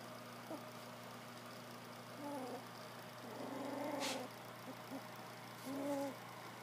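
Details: Three-week-old field-bred English Springer Spaniel puppies, just starting to play and bark, give soft, high squeaky whines in short scattered bursts over a steady hum.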